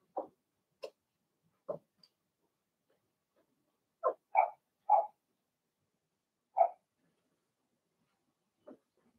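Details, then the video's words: Blenheim Cavalier King Charles Spaniel puppies in an indoor pen bark sporadically, single sharp yips spaced irregularly, with a brief run of three barks in the middle and a quiet, still room. "Cavalier Puppies Bark"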